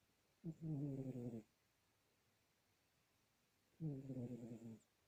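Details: Sleeping domestic cat snoring: two buzzy, low, harmonic snores of about one second each, roughly three seconds apart, with near silence in between.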